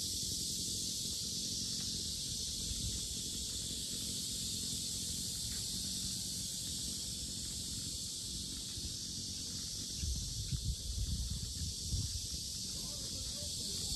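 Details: Cicadas droning at the Sinjeongho Lake lotus park in Asan, a steady high sizzling buzz that never pauses, while low rumbling noise swells near the end, like footsteps or handling.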